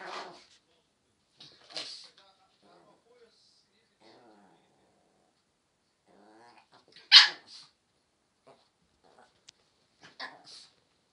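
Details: A 'talking' Pomeranian dog making short yips and warbling, wavering moans in scattered bursts, with a sharp louder yelp midway and brief quiet gaps between sounds.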